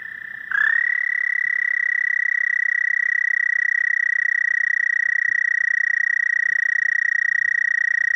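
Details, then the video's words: A frog starts up after half a second into a long, high, steady trill. The trill is rapidly pulsed, holds an even pitch and volume, and continues unbroken to the end. "Frog croaking"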